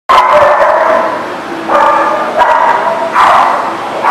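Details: Dogs barking on 30 March 2018, loud overlapping harmonic barks in a dense chorus, with fresh bursts of barking near one and a half, two and a half and three seconds.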